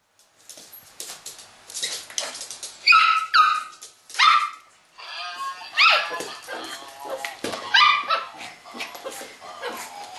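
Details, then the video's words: Pet dog going crazy attacking a Christmas cow toy he dislikes: bursts of excited, high yelping barks and whines in uneven clusters, rising and falling, with quiet gaps between volleys. "Bailey dog attack a christmascow"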